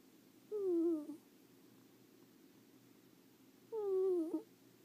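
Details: Leo, a pet ferret, snoring while asleep indoors: two clear, tonal, whine-like sounds that glide downward, each lasting about half a second and spaced roughly three seconds apart, over a low steady room hum.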